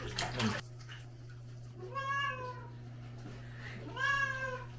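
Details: Cat being washed at home, a pharmacy cat from Hongdae: a splash of running water first, then two plaintive, rising-falling meows about two seconds apart over a steady low hum.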